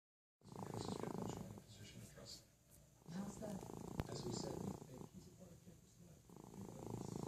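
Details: Felix, a pet cat, snoring while asleep indoors: rough, pulsing rattles swell in long bursts of one to two seconds, separated by quieter pauses, about four cycles in the stretch.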